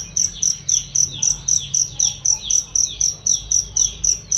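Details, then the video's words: Cricket used as a training voice for songbirds. Bright, piercing chirps sound loud and clear, spaced evenly about four per second, with quiet descending chirps and soft background noise beneath. "masteran jangkrik untuk burung"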